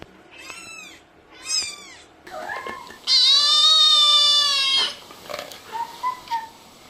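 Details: Kittens and cats meowing: two short high arched mews, then a long sustained drawn-out meow of about two seconds, followed by quieter scattered squeaks and faint background sounds.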